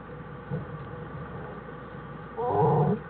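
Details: American black bear mother with her cubs in their winter den on January 1, 2013, studied by wildlife researchers; a low grunting note near half a second, then a louder harmonic moaning call near the end, against a steady background hum.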